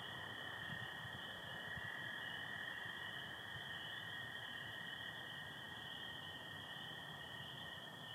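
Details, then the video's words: Spring peepers calling in Michigan on the night of 24 April 2025 under stars with some overcast, alongside American toads: a dense, steady high chorus of overlapping peeps with a second continuous lower band, and soft low rustling beneath. "Sounds of spring peepers and american toads"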